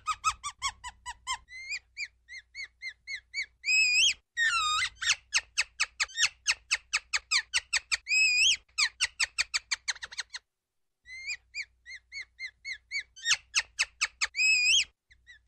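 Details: Shrill, fast-repeated chirps from a ground squirrel, with several drawn-out wavering whistles between the chirp runs and a brief silence partway through.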